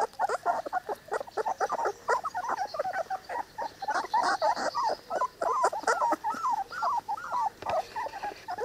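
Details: Litter of Cane Corso puppies at three weeks old: steady stream of short squeaky whimpers and yips from several pups, packed closely together and overlapping throughout.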